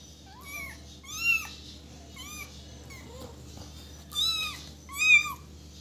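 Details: Young kitten giving repeated shrill mews, short bent cries that swoop up and down, about five in six seconds with a softer squeak between, in a quiet indoor setting with faint hum.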